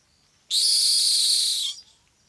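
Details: Rock hyrax, or dassie, of the African savanna at night, giving one harsh, loud, hissing scream lasting just over a second, broadband and high-pitched, with a faint low tone beneath and quiet background otherwise.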